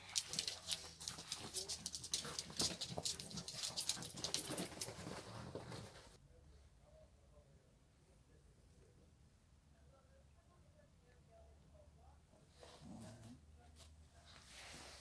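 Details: Shih Tzu called Lotto, indoors; rapid, breathy broadband huffs about four per second for six seconds, then near-silence with faint murmuring and a brief closing snort.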